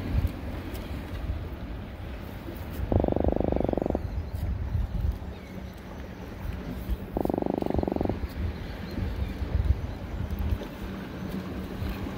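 An Atlantic croaker gives two rapid, buzzy drumming croaks about four seconds apart over low rumbling water noise.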